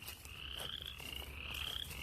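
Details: Frogs calling by a farm stream, a dense chorus of pulsed rising notes that overlap continuously, over low handling and wind rumble.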